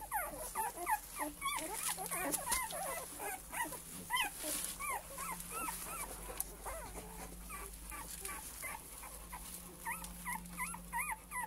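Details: Male Cane Corso puppies from one litter keep up a dense chorus of short, looping whimpers and yips, several pups calling over one another, with a faint steady hum underneath.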